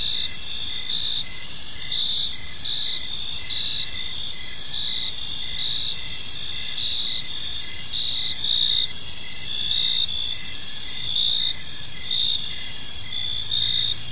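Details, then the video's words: Crickets chirping in a park on an evening, a dense chorus of high, steady pulsed trills with several overlapping callers and faint low background noise. "Park Serenade: Cricket Sounds in a Peaceful Park"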